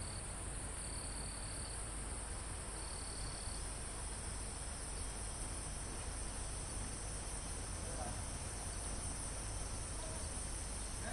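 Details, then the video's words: Mountain forest insects and crickets near the summit, recorded live: a continuous shrill high-pitched drone with two short high trills early on, all over a steady low wind noise through the foliage. "Calm Forest in Mountain With Crickets, Insects Sound"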